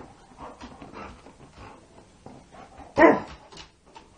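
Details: Labrador Retriever Bella wanting to play ball at midnight: soft shuffling and faint noises, then one sharp, loud bark about three seconds in, followed by quiet.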